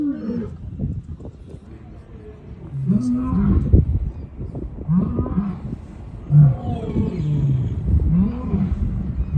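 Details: A wild male lion in the Serengeti, Tanzania, gives deep, moaning roars that break into short grunts, repeated every second or two.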